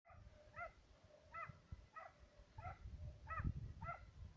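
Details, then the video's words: Two Serbian hounds baying on the trail of fox and roe deer; six distant, ringing barks roughly every 0.7 seconds over a steady low rumble of wind or handling noise. "Serbian hound,two dogs on trail(fox & roe deer)"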